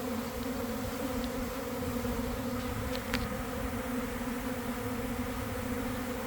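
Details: Swarming honey bees at a garden hive entrance in early afternoon, recorded from inside the developing swarm: continuous layered buzzing hum, steady and full, with a few faint brief clicks above.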